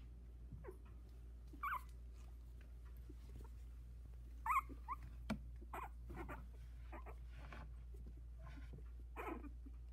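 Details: Havanese puppies, a litter of four aged 16 days, exploring the whelping box; clear high squeals and whimpers rising and breaking at intervals, with a few soft knocks and a faint low hum.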